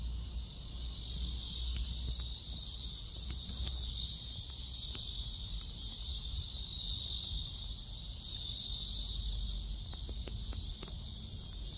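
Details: Midday cicadas, July 11 around 11 am, Seoul Innovation Park, caught while strolling: a loud, sustained, high sizzling buzz that swells slightly and ebbs, with light clicks and faint low hum beneath.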